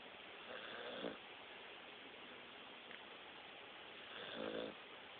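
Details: Blue nose pit bull snoring, recorded on a mobile phone: two raspy, rattling snore breaths about three and a half seconds apart over steady background hiss.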